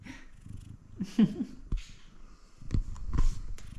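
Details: Kumba, a male F2 Savannah cat, gives a short, low meow that bends up and down over a soft, rumbling purr, recorded up close; finding: Savannah cat.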